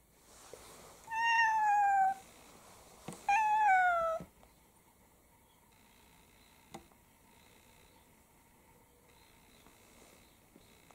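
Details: Domestic cats indoors in the morning, from a household of six mixed-breed cats, September 2022: two clear meows, each about a second long, falling in pitch, followed by quiet room sounds with a faint steady hum.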